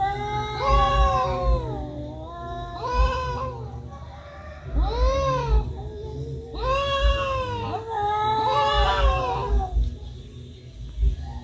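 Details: Domestic cats fighting, trading long wavering yowls that rise and fall in pitch, five drawn-out wails over about eleven seconds with low rumbling background noise.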